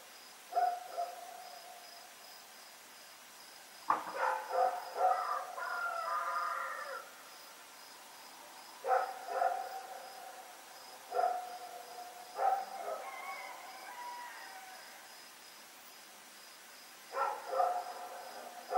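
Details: Night recording from Oct 7, 2018 of Rex the dog running about: scattered barks, a longer drawn-out whining bark run in the middle, and more single barks, over a steady insect trill.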